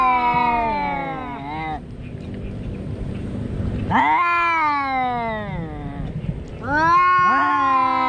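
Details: Cat giving loud, drawn-out meows: three long wailing calls, each starting high and sliding downward, with overlapping harmonics and a second voice joining at the end.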